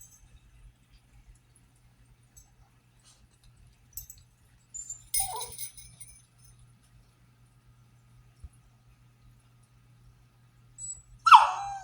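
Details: A French Bulldog, kept indoors for slipping through the fence to the neighbour's, lets out brief, wavering howl-whines protesting to go out with the kids, with a faint jingle of bells.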